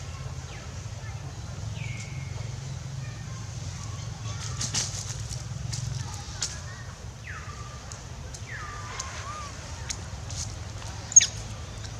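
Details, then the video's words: Monkeys in the forest of the Angkor Park area as the mother Bonita weans baby Gavin: a series of short, high, falling coo-like calls, some with a sharp drop then a level tail, over soft rustling and a low hum. "bonita weaning baby Gavin"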